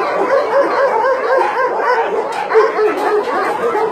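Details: Many dogs bark together at a Nonsan meat farm and puppy mill in South Korea, January 2017. Rapid, overlapping yaps and barks form a constant wall of sound with no pauses.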